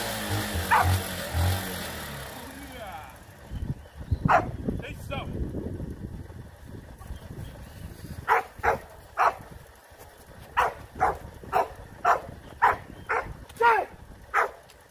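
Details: Rottweiler puppies in a training routine for high-performance guard work; after some early talking and low rumble, a run of sharp, loud barks comes roughly every half second through the second half.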